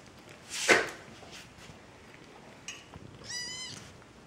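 A kitten gives a short, high, thin mew after a sharp, noisy burst of sound while eating.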